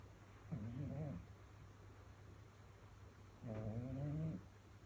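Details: Domestic cat sleeping indoors on a rainy evening, snoring: two drawn-out, low, rough, buzzing breaths, each lasting under a second, about three seconds apart, against a steady faint background hum.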